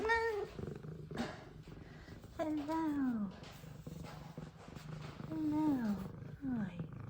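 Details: Two F2 Savannah cats, pets happy to see their owner returning home; one meows repeatedly while the other purrs. Drawn-out descending meows come in clusters over a steady low purr, with a woman speaking softly and some music.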